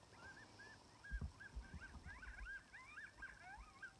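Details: Sixteen wild timber wolves on a hillside roughly 700 yards away in Wrangell-St Elias National Park, southeastern Alaska, September 2018, recorded on an iPhone through a spotting scope; wavering yips and short rising-falling howls overlap in a ragged chorus, with low thumps beneath.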